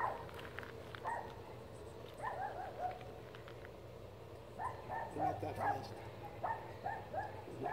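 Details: Poodle barking at elk: scattered bursts of short, harmonic barks, several clustered near the start and a longer run toward the end, fairly faint over a low steady rumble.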